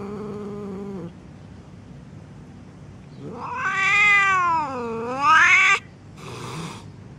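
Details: Angry cat: a steady low moan, a brief quiet gap, then a loud, strained yowl that swells, dips in pitch and climbs again to a harsh peak before stopping, followed by a softer short cry.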